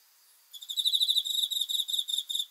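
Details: Night-time cricket song, a fast train of shrill pulsed chirps starting after a brief hush and running on steadily for about two seconds against a quiet background.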